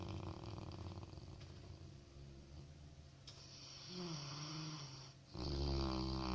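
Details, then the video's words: Sleeping Labrador Retriever puppy snoring indoors: a low, rumbling, steady snore with rapid rough pulses, growing louder with a humming tonal layer in the last second. "HERMOSO PERRITO LABRADOR RONCANDO"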